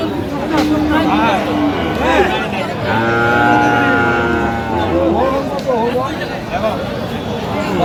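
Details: Friesian and crossbred bull calves at a cattle market in Madaripur, Bangladesh, 21 October 2025: a sustained, steady, low harmonic moo lasting about two seconds, amid constant bargaining voices, crowd chatter and market noise.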